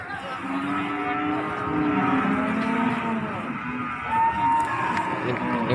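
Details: Cattle being unloaded from a truck at Pasar Margorejo market in Pati, 13 May 2020: a drawn-out, low harmonic moo lasting a few seconds, with men talking and bargaining nearby and market bustle behind.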